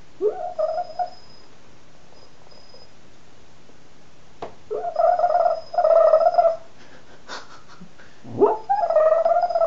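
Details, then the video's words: Pet dog asleep and snoring indoors while its owner works, recorded on a cell phone: tonal, whistly nasal wheezes in bursts of about a second, some opening with a rising swoop, separated by quiet pauses, over a faint steady high hum. "Snoring dog"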